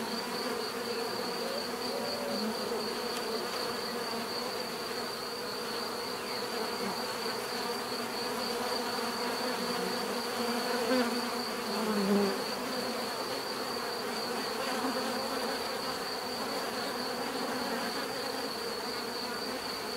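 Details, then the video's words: Bees buzzing continuously in a dense, droning hum with layered tones, steady in loudness throughout and briefly swelling around the middle; a thin constant high whine runs above the swarm. "bees therapy relaxing natural buzzing sound"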